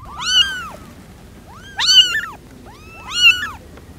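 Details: Three loud, drawn-out cat meows, each rising then falling with bright harmonics, spaced about one and a half seconds apart against a quiet background.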